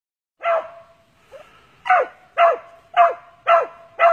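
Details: Original Mountain Cur barking during a squirrel hunt in Texas: loud, sharp single barks repeated about twice a second after one opening bark and a short pause, with little other sound.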